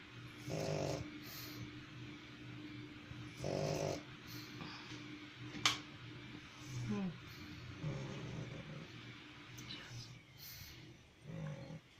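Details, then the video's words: Pug dog snoring indoors with repeated raspy, rattling inhalations roughly every three to four seconds, some ending in a brief snort, alongside soft breathing and faint voices. "Как храпит МОПС"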